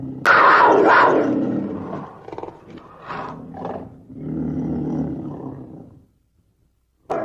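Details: Black panther, a black-coloured leopard: a harsh, loud snarl opens, followed by short rasping bursts and then a low, rumbling growl that fades out, with a brief sharp snarl returning at the very end.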